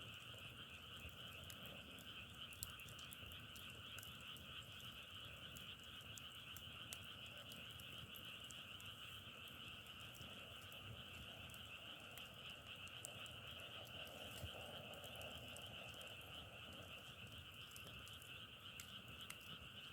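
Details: Unbroken frog chorus through the night air: layered high trilling bands hold steady from start to finish, with sporadic snapping crackles like a wood fire and a low background murmur.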